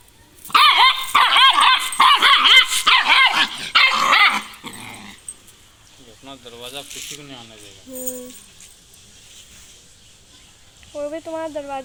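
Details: Jack, a dog, barking toward another street: a rapid burst of loud, harsh barks about twice per second during the first four seconds, then quieter human speech in Spanish with a few vocal tones near the end.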